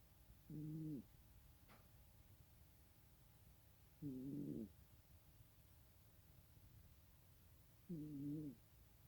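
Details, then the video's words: Snoring cat with three rough, low, buzzy breaths repeated steadily about every three and a half seconds, plus one sharp tick early on. "고양이 코골이"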